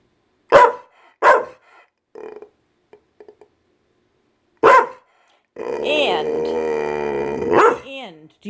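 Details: Senior female Pit Bull complaining indoors about the rain, fearing storms; two sharp barks, softer huffs and clicks, a third bark, then a long, wavering, talking howl lasting about two seconds.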